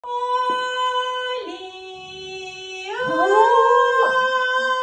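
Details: A Cocker Spaniel howls in long, clear, held tones that dip and then swoop back up, singing along.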